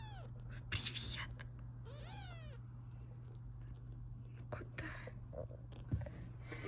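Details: British Shorthair kittens from a litter of five born on 9 April 2024, kept indoors: one clear rising-then-falling meow, with soft rustling, faint whispered speech and a steady low electrical hum.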